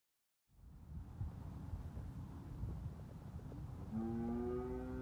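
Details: A Red Angus bull lets out a low, steady, droning moo late in the recording, after several seconds of rumbling broadband noise resembling wind or machinery.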